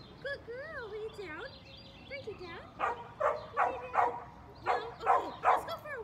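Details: Five-month-old female Mini Goldendoodle puppy in training: a few high, wavering whines, then short bursts of sharp barks, about seven in pairs and threes, with faint background sound.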